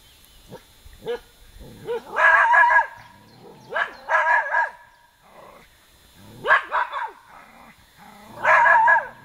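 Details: Irish terrier giving short bursts of high, harmonic yapping barks in clusters about every two seconds, with quieter yips between, while a person speaks softly nearby.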